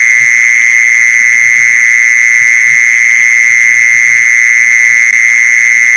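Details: Unbroken high buzzing of a mole cricket, used to draw mole crickets in; the trill stays level and loud from start to end while quiet low pulses tick beneath it.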